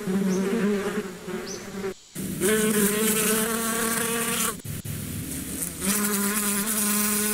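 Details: Bees buzzing close by: a continuous, low, droning hum with a wavering pitch, broken by brief abrupt gaps, and faint short rising chirps high above it.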